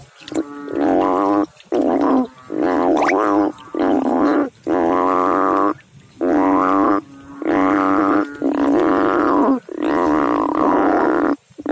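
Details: A frog in water sends out a steady run of deep, buzzy, droning calls, each about a second long, broken by brief pauses, with no other sounds standing out.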